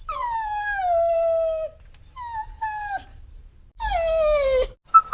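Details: Crying dog letting out long, sliding whines that fall in pitch, one drawn out over nearly two seconds, then shorter notes and a final descending wail.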